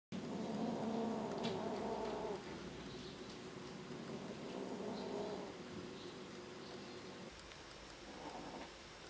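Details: Kittens fighting over a sock give a low, buzzy, harmonic growl that holds steady for about two seconds, then continues more quietly with a further rumbling stretch near the end, over faint indoor rustling.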